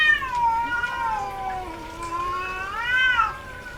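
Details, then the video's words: Domestic cat, female in heat, producing a continuous, wavering yowl that dips low in the middle and climbs to a louder arched cry near the end. "SOM de GATO no cio - Barulho de GATA no cio Gatos miando"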